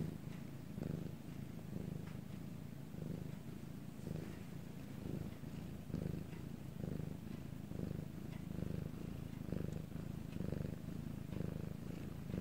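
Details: Purring domestic cat in Korea, recorded at night during a quiet time: continuous low rumble with regular breath-paced swells about once a second, faint and even, no other sounds.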